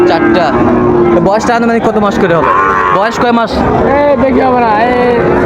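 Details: Several long, harmonic moos from Sahiwal bull calves at the Raniganj market, Dinajpur, 9 September 2024, rising and falling over steady background talk from a busy crowd.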